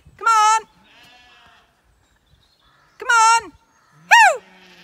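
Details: Zwartbles lambs on a regenerative farm in County Kilkenny, Ireland, with no aunty ewes to guide them, being called toward a gate: three loud, wavering harmonic bleats spread over five seconds, with a woman coaxing "babies, come on" between them.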